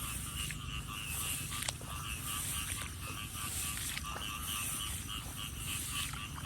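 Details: Frogs calling while someone walks searching for them: a dense, unbroken chorus of rapid pulsed croaks and a steady ringing trill, with scattered sharp clicks and a low rumbling background throughout.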